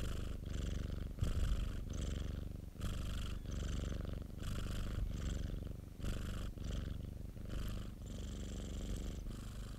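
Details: Domestic cat purring continuously indoors, several minutes of purring edited together; a deep, low rumbling purr that pulses with each breath, roughly every one to two seconds, with brief quieter gaps between breaths.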